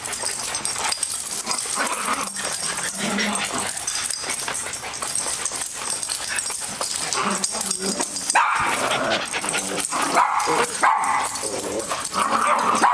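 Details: Two dogs playing together at a daycare in January 2012. Steady background hiss and rustling, with short, rough bark bursts and growly harmonic sounds standing out near the end.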